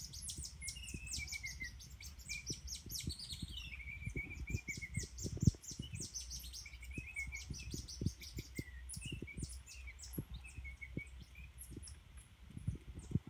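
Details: In the wild at El Ceibal, Colombia, a group of cotton-top tamarins gives high, bird-like chirps in quick bursts mixed with thin downward-sliding whistles, over a steady low rumble of wind or handling noise.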